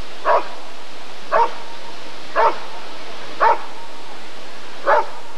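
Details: Five evenly paced barks from a Rottweiler at the ADRK breed survey of 1994, roughly one per second, each short and punchy with a faint low hum underneath.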